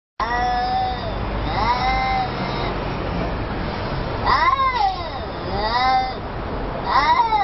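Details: Domestic cat "talking" in a string of drawn-out, wavering meows, each rising then falling in pitch, about five calls separated by short pauses, one near the start and the rest spread across the clip.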